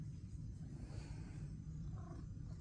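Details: Critter, a pet male cat, purring contentedly during a petting session while his sister Ruckus naps nearby; an even, deep continuous purr throbs throughout, quiet with no other clear sounds.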